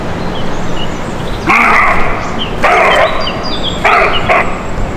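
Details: A roe deer gives three harsh, hoarse barks, a little over a second apart, reacting to an approaching person in a small wood in July.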